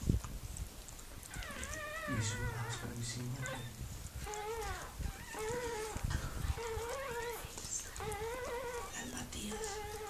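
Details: A Miniature Pinscher named Mirella giving birth to puppies, letting out repeated wavering whines that rise and dip, in bursts after a quiet start, with a low hum and soft bumps underneath.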